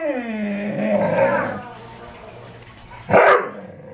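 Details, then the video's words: Dobermann at home, aggravated by deer in the back yard, giving a drawn-out whining growl that slides downward over about a second and a half, then a short sharp bark. "Archer aggravated by the deer in the yard."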